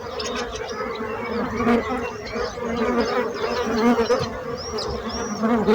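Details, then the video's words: A continuous hum of many bees, the drone wavering slightly in strength, with scattered thin high chirps over the top. "So brutzit abelles - Bees sound - Bees buzzing sound effect"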